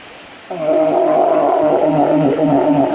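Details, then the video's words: Walrus giving a loud, sustained, moaning call with clear stacked tones that waver slightly, beginning abruptly after half a second of quiet and holding steady for over two seconds. "Walrus funny Noises"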